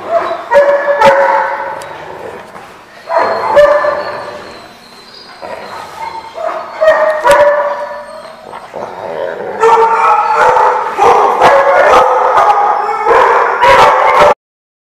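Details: Several dogs barking at a dog park, recorded 24 July 2015; overlapping harmonic barks and yips come in bursts, with short pauses between volleys and voices faintly heard.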